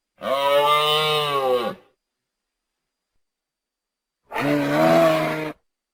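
Two drawn-out calls from a deer, each lasting over a second, rough and groaning with a rich stack of overtones. A pause of silence falls between them, with no other sounds heard.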